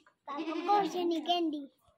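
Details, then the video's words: A newly acquired goat that would not stop calling gives one drawn-out, tremulous, nasal bleat lasting over a second, steady in pitch with a slight waver. "Aj hm ny ak new goat liya or oski awaz he band ni ho rahi thi yar"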